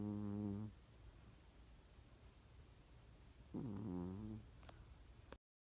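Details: Cat snoring: two low, buzzy, droning breaths, each under a second long and about three seconds apart, with quiet hiss between them.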